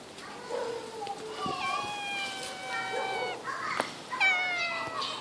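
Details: Friendly cat on a tree branch, aggravated when its paws are touched, giving several drawn-out harmonic meows, some level and some falling, with human talk mixed in between the calls.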